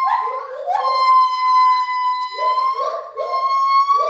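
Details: Gibbons in a zoo's main gibbon house, loud enough that keepers wear ear defenders, calling with a long, steady, musical hoot over shorter rising whoops from a second voice.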